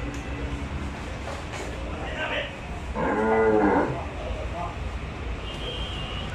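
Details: Big Nili-Ravi buffalo at a livestock market in Bangladesh gives one low, harmonic-rich moo lasting about a second midway, set against steady background crowd and market noise.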